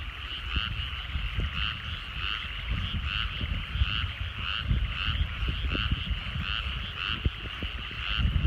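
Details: Countryside rice paddies at sunset with a massed frog chorus: overlapping rattling croaks pulse continuously in bands, set over a strong low background rumble and occasional faint knocks.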